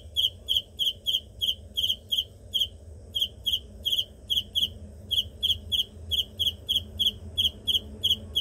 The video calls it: Cricket insect sound